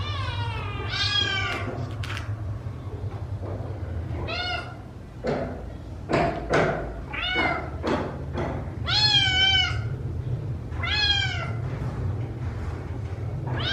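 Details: Several rescued kittens meowing while being fed, loud high cries with falling pitch repeated in quick overlapping bursts, some short and squeaky, over a steady low hum and occasional thumps.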